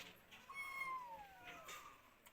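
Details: Crying kitten searching for its mother gives one long meow that starts high and slides steadily downward, with music playing underneath.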